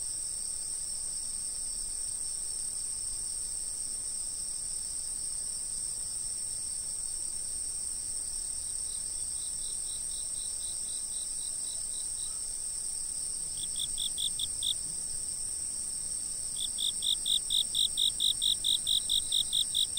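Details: Insects chirping outdoors, filmed from a fixed camera: a steady high-pitched insect drone for most of the time, then one insect joins with short, sharp repeated chirps in bursts near the end.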